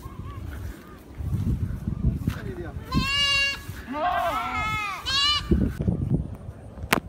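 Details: Goat kids bleating when fed freshly cut grass, sounding as if they just found food: three shaky, nasal bleats in quick succession over rustling, handling noise and people talking.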